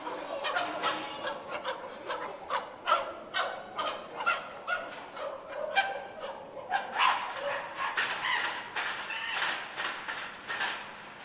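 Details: Group of chimpanzees at Tama Zoological Park, Japan, going back into the sleeping quarters, giving a dense, overlapping chorus of rough barking hoots and cries, echoing and continuous with no clear pauses.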